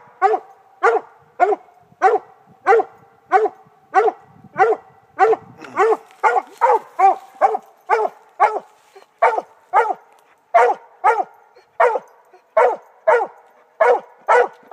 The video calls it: Redbone coonhound treeing